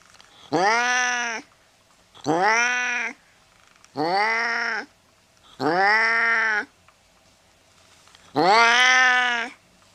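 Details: A cat giving a steady series of five short, arched meows, about two seconds apart and evenly loud, offered as a sound to drive mice away.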